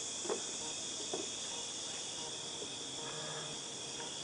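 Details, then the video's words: Cicadas calling in August 2018, a steady high, hissing drone that holds unbroken throughout, with a few faint low thumps early on. "2018 08 Cicadas Tinnitus Sound"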